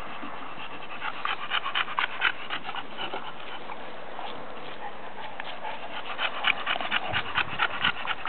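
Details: Emma and Bibi, two pet female bulldogs, heard in fast, raspy panting, roughly two breaths per second, uneven and breathy, with short snuffly bursts against a constant low hiss.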